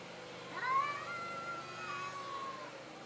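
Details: Shy orange domestic cat letting out one long meow that rises sharply at onset then slowly trails downward for about two seconds, against a steady quiet hiss.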